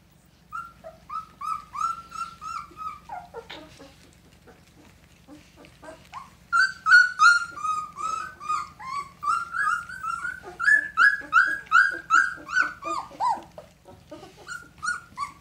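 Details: Two-week-old red Standard Poodle puppies of an April 10, 2018 litter whimper in steady runs of thin, wavering squeals, a short quiet gap, then a denser, louder stretch of rapid whining from several pups together.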